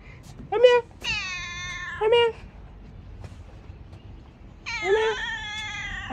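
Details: House cat giving long, high, tonal meows that waver slightly and trail off, two main calls about three seconds apart, mixed with short bursts of a person's calling voice in a small room.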